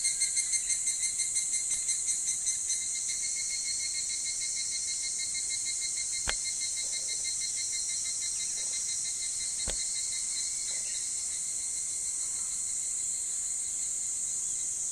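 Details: Pre-dawn summer chorus of evening cicadas. It opens with rapid pulsing notes in a quick repeated series for the first few seconds, then settles into a continuous shrill ringing. Two sharp clicks break through midway.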